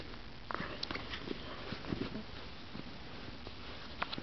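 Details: German Shepherd puppy Hugo, a little over three months old, sniffing indoors: short, soft, breathy bursts come in irregular runs, with a few light taps and clicks against the quiet hush of a small room.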